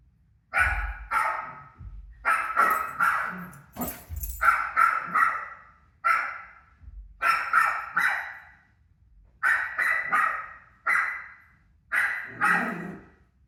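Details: Pet dog Rosie reacts to her own barking on television with repeated sharp, hoarse barks in clusters of two or three, steady back-and-forth rhythm and brief silences between groups.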